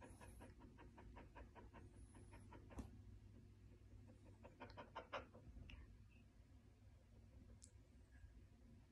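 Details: Valentino, an 18-month-old blue merle Border Collie, pants quietly in two short bursts of quick even breaths, separated by a pause and a brief high squeak, against soft background noise.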